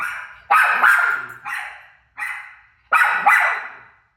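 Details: Rosie, a pet dog, barking at her own barking playing on TV: about five sharp, loud barks in two paired bursts, each one harsh and falling away quickly, with brief silences between.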